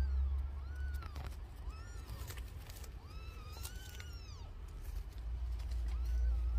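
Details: Domestic cat with newborn kittens during nursing: about six short, arched, thin mews rise and fall in quick succession, some overlapping, over a steady low rumble.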